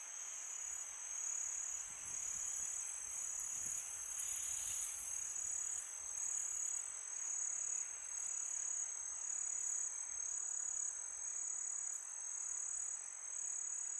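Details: Crickets at night in summer keep up a bright, steady high trill; a gust of wind swells briefly early on, then a calm even hiss remains.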